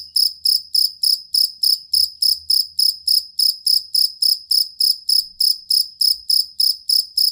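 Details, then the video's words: Fighting cricket, known locally as jangkrik kalung, used as a master sound for songbirds; its long, stable chirping comes through as evenly spaced bright pulses, roughly three and a half each second. "Suara Jangkrik Master Burung"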